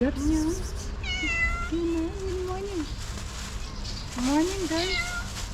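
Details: Stray cat sitting on a wall, meowing to ask for food: four drawn-out, tonal meows, some wavering up and down in pitch, spread over a few seconds, with steady low background rumble.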